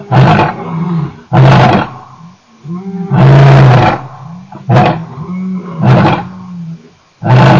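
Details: Male lion at Nkorho, 29 September 2008, in a rapid series of gruff roars and grunts. Short powerful bursts alternate with lower drawn-out moaning tones between them.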